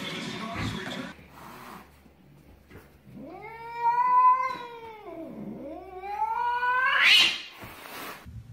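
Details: Domestic cat named Charlie drawing out a long, wailing caterwaul rich in harmonics. The pitch first rises, then dips low, then climbs again to a loud, strained peak, with some rustling and handling noise before and after.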